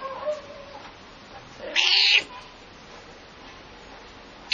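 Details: Pet cat giving a short, loud, strained meow in slight anger while a dog barks nearby, with a faint tonal sound before it and a quiet background.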